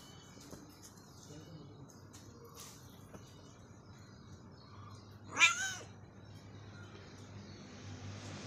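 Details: Domestic cat during its morning walk lets out a single sharp, loud meow midway through, otherwise a quiet outdoor background with faint distant sounds.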